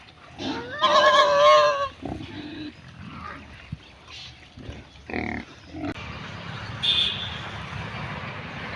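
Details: Pig grazing in the mud of a village; a loud, tonal, wavering squeal lasting about a second opens the recording, followed by scattered soft grunts and snuffles against a rustling background.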